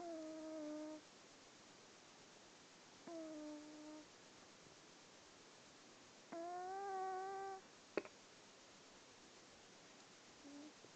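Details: Squiffy, a pet cat in deep sleep, snoring: soft whistled nasal tones about a second long recur roughly every three seconds, the third rising slightly in pitch, with a faint click afterwards in a quiet indoor room.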